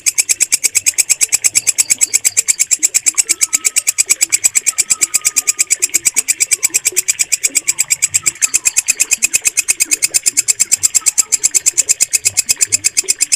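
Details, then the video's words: Walang kecek bush cricket produces a continuous rapid series of shrill, buzzy clicks in an even rhythm. Faint thin whistles from birds sound softly in the background. "MASTERAN WALANG KECEK SUARA JERNIH"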